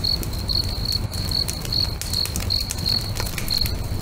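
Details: Crickets singing beside a crackling bonfire next to a lake at sunset: high, even chirps repeated about two to three times a second, over sharp fire pops and a low warm rumble.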